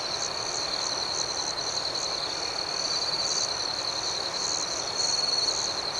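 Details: Crickets chirp at night in a dense, even chorus, a thin high ringing tone with gentle pulsing above it and faint brief trills that swell slightly toward the end.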